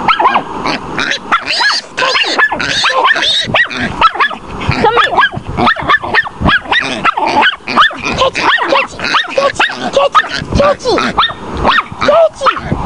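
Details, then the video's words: Chihuahua named Tootie holding a baby wild boar at bay, giving a dense, nonstop string of sharp, high yips and barks, frantic and overlapping, for the whole stretch. "tootie bayin a wild boar pig"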